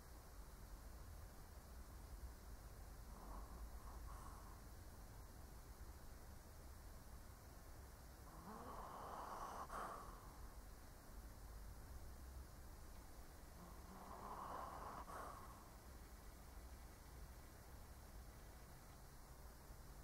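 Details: A sleeping old Shih Tzu snores in slow, breathy pulses, roughly three snores spaced five to six seconds apart, the first faint, over a constant low hum.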